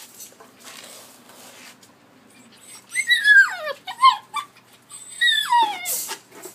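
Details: Collie pups aged 73 and 86 days, recorded on 12 August 2013, give drawn-out whining cries that start high and sweep steeply downward, after a quieter stretch of faint background noise.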